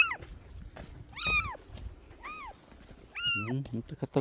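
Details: Stray cat during a rescue, giving high, arched meows that rise and then fall, four in about four seconds, with short pauses between them; a person speaks softly in the background.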